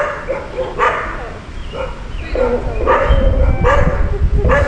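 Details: Dog met on the road during a cycling trip in Colombia, barking in short repeated bursts, roughly a few barks per second in clusters, with people talking nearby and low rumbling traffic noise.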